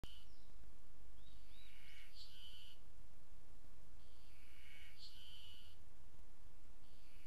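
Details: Ezo spring cicada singing at Maruseppu, Hokkaido, Japan, on 16 June 2012: two long phrases of bright rising and falling shrill notes, each ending in a sharp peak, repeating about every three seconds over a low background rumble.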